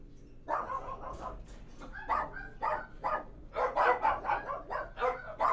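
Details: Dogs barking inside a kennel; after a quiet start, hoarse barks come thick and overlapping, growing denser and louder toward the end.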